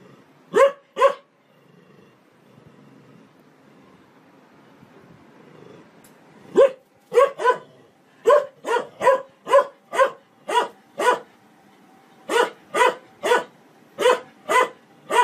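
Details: Dog barking in a funny compilation: sharp, broadband barks, a few isolated ones early, then a fast run of about a dozen evenly spaced barks, roughly two per second, over a quiet background.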